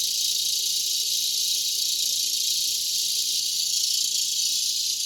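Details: Unbroken high buzzing wall of cicada sound from a mulberry tree at dusk in Broken Arrow, Oklahoma, in August 2020, steady in loudness with faint low background hum.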